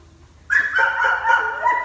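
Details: A Dogo Argentino dog in training gives a loud, drawn-out harmonic vocalisation, a whiny bark-like yowl with steady bands and slight pulses for over a second, beginning abruptly after a quiet start.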